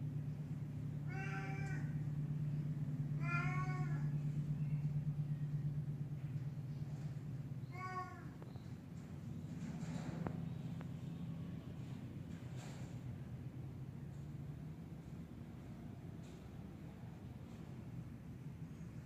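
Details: Black cat up in a tree, giving three drawn-out, strained meows about two to three seconds apart in the first eight seconds, then falling quiet, over a steady low rumble throughout.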